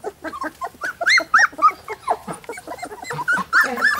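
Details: Three-week-old Golden Retriever puppies give quick arched squeaks and whimpers, several per second. The cries overlap unevenly, with louder piercing peaks among softer murmurs.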